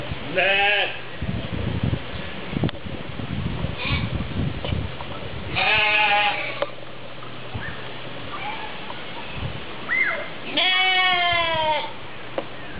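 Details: Bleating goats kept at Opole Zoo, Poland, giving several quavering, nasal calls of varying length spread across the recording, the longest near the end, amid visitor voices and general zoo bustle.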